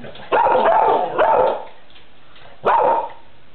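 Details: A pet cocker spaniel that loves cats barks indoors while looking for the cat. It gives three drawn-out, strained barks: two close together at the start, then a single one after a short pause.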